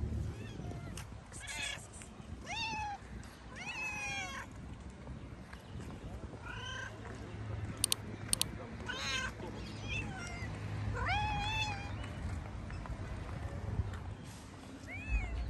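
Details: Two hungry street cats, tabby and ginger, meowing while being fed outdoors. Repeated arched, harmonic meows come throughout, short and insistent, some overlapping, with a couple of sharp clicks midway and steady low background hum.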